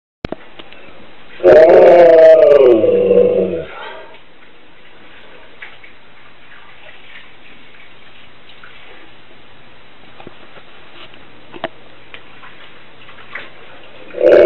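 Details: A Siberian Husky, left home when its owner went out shopping, gives one rich, wavering howl of about two seconds that bends in pitch and drops away, then faint room noise and soft clicks.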